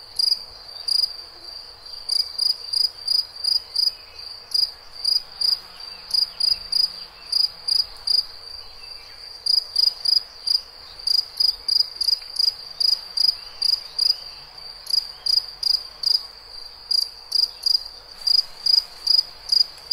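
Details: Cricket calling with bright, high chirps delivered in uneven runs and clusters, brief gaps between groups, over a thin steady high hum; no other animals or voices stand out.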